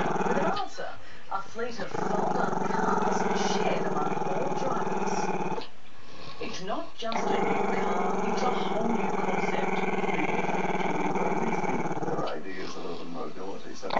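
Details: Chester, a Maltese-Shih Tzu puppy, gives a crazy long rumbling growl aimed at the camera, which he is shy of. Brief pauses come around one, six and twelve seconds between stretches of steady growling.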